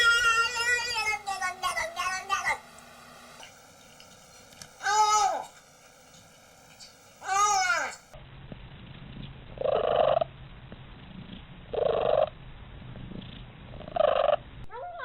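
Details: Domestic cat giving unusual calls: several high, sweeping meows with falling tails, then three short, clear meows spaced about two seconds apart against a quiet indoor background.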